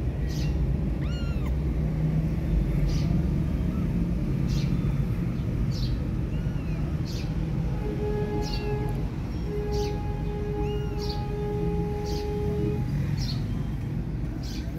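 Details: Kittens apart from their mother cat mew in short, bent, high-pitched cries early on, then fall quieter while a steady tonal hum and low rumble run beneath repeated clicking ticks.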